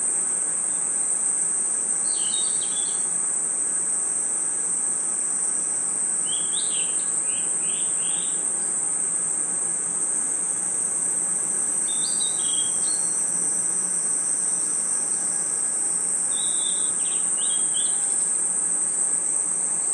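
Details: Crickets and insects in a night forest sustain a steady, piercing high-pitched chorus, with short bursts of rapid chirps breaking in roughly every five seconds.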